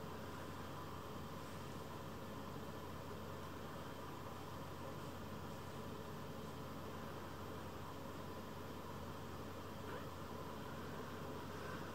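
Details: Steady broadband hum and hiss like air conditioning or distant traffic, with no animal calls heard.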